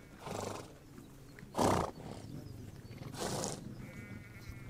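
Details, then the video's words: Horses on the Mongolian steppe: three short, breathy, broadband snorts about 1.5 seconds apart, the middle one loudest, over a quiet outdoor background. "Relax listening to the sound of horses"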